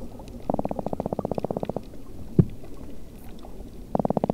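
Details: Toadfish courtship sounds recorded underwater: two bursts of rapid, evenly spaced low pulses with a buzzing harmonic quality, broken by a single sharp knock. A faint underwater background runs throughout.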